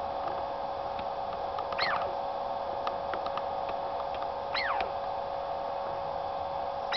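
A Douglas squirrel calls twice, each a quick high whistle sweeping sharply down in pitch, about three seconds apart. Faint clicks and a constant low droning hum run underneath.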